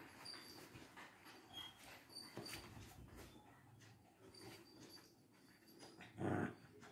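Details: Two Lhasa Apsos, Bruno and Mars, fighting indoors: a low rumbling growl swells midway among scuffling clicks and rustles, then a loud sharp yelp bursts out near the end.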